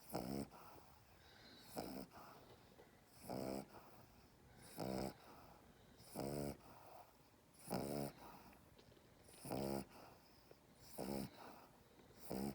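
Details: Chaney, a pet dog, snoring while held in someone's arms indoors: rasping, harmonic snorts repeated roughly every 1.5 seconds, each a short buzzy burst with quiet breathing gaps between.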